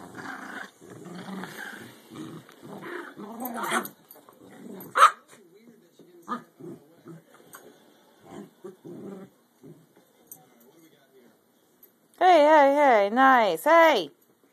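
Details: Two American Eskimo dogs playing tug: Lexi, a two-year-old adult female, and Maru, a stubborn 12-week-old puppy. Lexi tries to sound mean. Rough, pulsing growls fill the first four seconds, then scattered soft grunts, then loud wavering, whine-like vocal bursts near the end.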